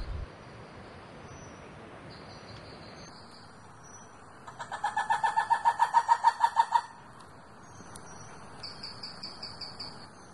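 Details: A red ruffed lemur (Varecia variegata rubra) in Masoala National Park's tropical rainforest, northeastern Madagascar, gives a harsh, pulsing call that swells quickly, then cuts off abruptly.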